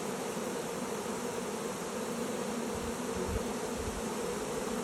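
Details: A Western honey bee (Apis mellifera) swarm entering a new hive, the queen glimpsed, fills the air with a dense, steady hum of countless overlapping wingbeats.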